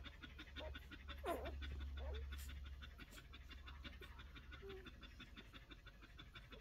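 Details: One-week-old Collie puppies breathing in quick, soft, rhythmic pants, about three per second, with a brief thin whine near the start and faint low room hum underneath.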